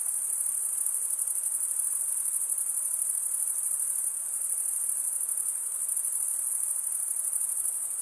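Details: Male crickets stridulating, rubbing one wing along the toothed vein of the other: a dense, continuous high-pitched chirring held steady throughout, with rapid pulses blending into one shrill band and no other sounds.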